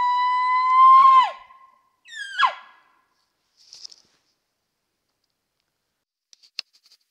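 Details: Bull elk bugling at night during the peak rut on a mountainside near a wallow: a loud, sustained whistled tone that climbs slightly before dropping sharply, then a shorter descending squeal, followed by faint scattered clicks.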